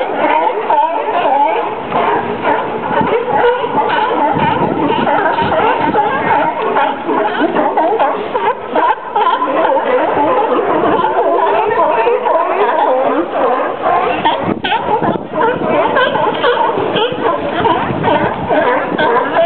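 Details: California sea lions barking at Pier 39 in San Francisco Bay on 7 November 2007, just after noon, with fog over the city, hours after an oil spill. A dense chorus of many animals gives overlapping, continuous barks.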